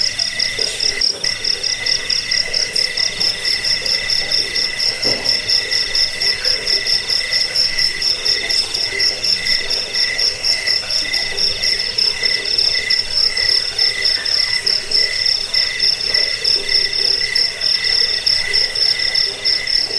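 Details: Crickets, offered as a sound to drive away rats, lull listeners to sleep and tutor songbirds; a dense, steady high-pitched trill with layered shrill tones and pulses roughly once per second, unbroken throughout, no other clear sounds.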